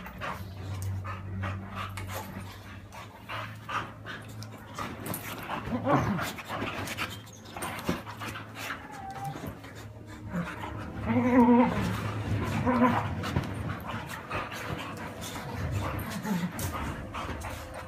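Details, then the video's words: Pixie the Boxer dog wrestling with Sprocket: low rumbling growl-like sounds early on, then a brief wavering whine around the middle, among scuffling, panting and thumping play noises. "Pixie The Boxer Dog and Sprocket wrestle"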